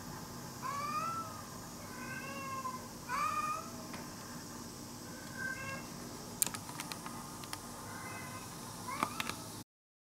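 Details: A young stray tabby, hungry and drawing near a home, gives a few bent, wavering meows in the first four seconds, then fainter ones later, amid light clicking and steady hiss.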